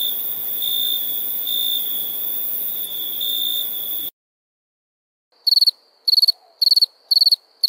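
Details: Crickets at nighttime: a steady high ringing trill for about four seconds, a brief silence, then a different caller giving short bursts of rapid pulsed chirps, roughly five bursts in two seconds.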